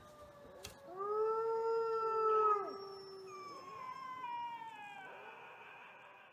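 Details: Mexican gray wolf, one of three captive brothers newly introduced to their enclosure at a wolf conservation center at sunset, giving overlapping long smooth howls that hold steady then slide downward, several voices layered, with a faint click early on.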